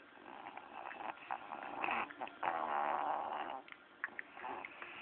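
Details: Young bulldog snoring while asleep, recorded on an Android phone: rough, rattling, buzzy breaths that swell and fade irregularly, with a longer louder rasp in the middle.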